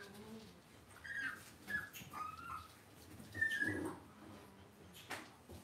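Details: Cavalier King Charles Spaniel puppies raised indoors in a home puppy pen give several thin, high whines that waver and bend in pitch, with short gaps between them, over a faint room hum and soft low rustling.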